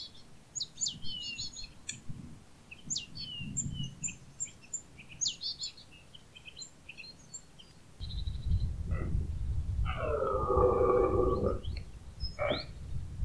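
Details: Red deer stag in the early autumn rut in the Pyrenees, stags calling back and forth: after many rapid high bird chirps and low rumbling, a single deep, harmonic, drawn-out bellow of over a second rises near the end.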